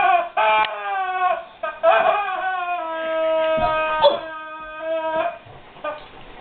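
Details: Guard dog whining over a squeaky toy it does not know what to make of: long, steady, high nasal whines with rich overtones, held for several seconds, broken by short squeaky bursts and brief gaps.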